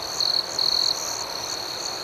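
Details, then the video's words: Crickets chirping at night: two bright, shrill trill bursts close together over a steady high background hum of more insects. "Soothing Cricket Sounds"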